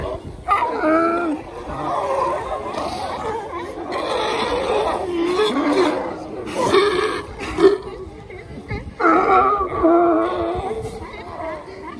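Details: California sea lions lounging on the shore at Monterey, California, give hoarse, throaty barks and drawn-out groaning calls in uneven bursts.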